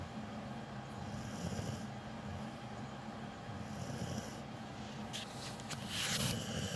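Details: Sleeping dog named Capone, a loud snorer with cropped ears: a continuous low, rumbling snore with a faint rough rhythm, ending in a louder breathy snort, under a constant background hum.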